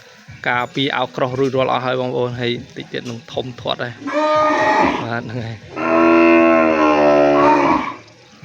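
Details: Twelve newly arrived cows, washed and vaccinated, low on a farm: two long, deep moos, the second over two seconds and loud, following a man's rapid speech.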